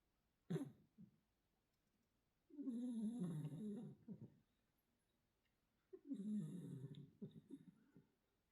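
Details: Domestic cat, a mackerel tabby Korean shorthair named Arti, snoring indoors in a small room: rough, low breathy snores in two long drawn-out bursts a few seconds apart, with a short soft sound at the start and quiet pauses between.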